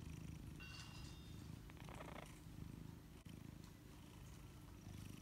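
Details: Sleepy domestic cat that just wants to be left alone, purring steadily: a continuous low, pulsing rumble throughout, with faint soft higher rustles over it.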